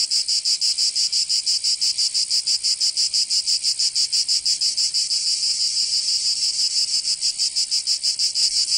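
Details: Cicadas singing in summer in Provence, southern France: a dense, high, buzzing chorus pulsing rapidly and steadily, about three beats per second, holding unbroken throughout with no other sounds.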